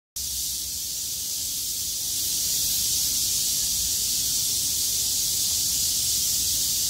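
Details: Cicada chorus on 6 August 2020, a Thursday, from cicadas that survived a downpour and sing with all their strength once the rain stops and the sky clears. The sound is a dense, steady, high hissing buzz that swells slightly after two seconds.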